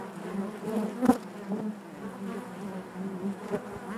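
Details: Bees buzzing naturally inside their hive: a dense, steady low hum with overlapping wingbeat drone, gently swelling and fading, with a brief louder buzz near the start as one bee passes close.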